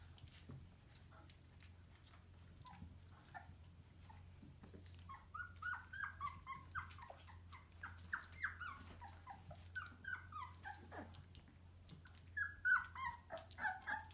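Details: Bernese Mountain Dog puppies from a litter of four males and three females born 12 March 2020: soft at first, then a run of high, thin squeaks and whines from about halfway on, over a steady low hum.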